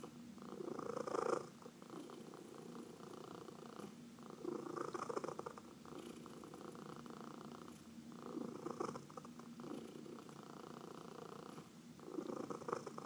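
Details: Massaged house cat, one of four, purring continuously; the low buzzing rumble swells and dips in cycles of roughly three to four seconds, following its breathing, with brief quieter gaps between breaths.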